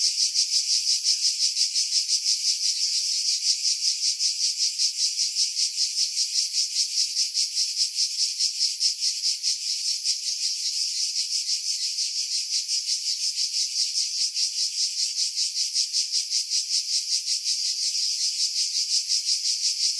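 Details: Skiros Island cicadas singing in July among pines at Pefkos Bay, Greece: a loud, sustained metallic buzzing with steady rapid pulsation throughout twenty seconds, wind buffeting edited out.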